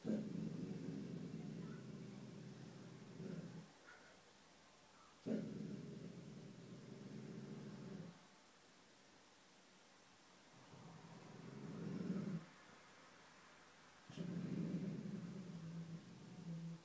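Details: Dog named Petey growling at something unseen, four separate low, throaty growl bouts of about three seconds each, split by quiet pauses, with a faint click between them.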